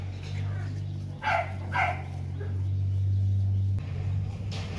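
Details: Playing Rottweiler puppies, four months old, at the Gervi kennel; two quick barks sound close together early on, then only a low droning hum and faint voices follow.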